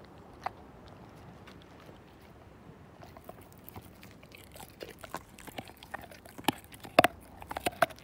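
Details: A Siberian Husky called Slim chewing a bone, with a near-silent start, then irregular crisp crunches and teeth clicks building over the last five seconds.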